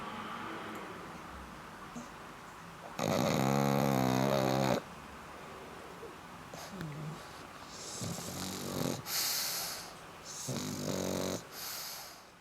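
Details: Black pug snoring, with a loud harsh rattling snore of about two seconds, then quieter wheezy breaths and several shorter snuffling snores with hissy high tones.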